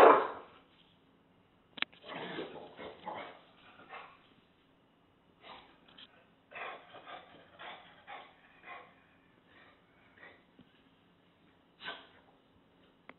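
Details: English Bulldog tussling with a taco box: an opening bark, then a long run of quieter rough grumbles, snorts and huffs in irregular bursts over more than ten seconds.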